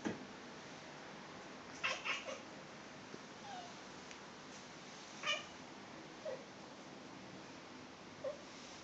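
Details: Buffy, a pet cat indoors, chatters at a fly on the wall before slapping it: short clustered bursts of clicky chirps near two seconds and five seconds, with a few soft faint squeaks between, over a steady quiet room hiss.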